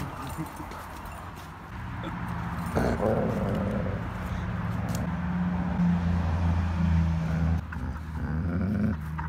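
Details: German Shepherd growling at a huge Pitbull, jealous and unwilling to share a toy during a tug of war between two dogs who are best friends; a low, steady rumbling growl runs throughout, swelling briefly louder near the third second.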